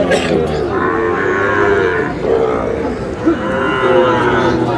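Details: Sahiwal bull calf at a Noakhali cattle market, 8 May; short, wavering moos repeat through the stretch, partly blended with steady crowd talk and market noise.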